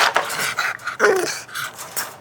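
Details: Bentley, a bulldog puppy, hiccups indoors after a long walk and playtime. He is overexcited and tired and resists a nap. Short abrupt bursts come about every half second, mixed with panting breaths in a small room.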